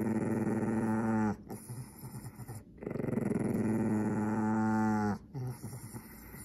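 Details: Angry Pekingese defending its toy mouse as someone tries to pick it up: sustained throaty growls, one over two seconds long, with rough vibrating texture and brief breaths between.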